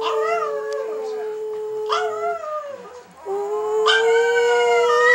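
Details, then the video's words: Seven-year-old female pet Chihuahua, known for singing, howling with her two Chihuahua sisters: long, steady, sustained howls, a brief dip near the middle, then a stronger rising howl that holds to the end. "THE SINGING CHIHUAHUA"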